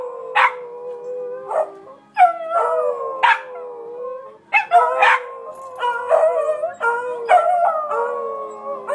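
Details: A group of four Beagles singing spontaneously: drawn-out, bending howls in several overlapping voices, broken by sharp bark-like yelps every second or so, with brief pauses between bursts.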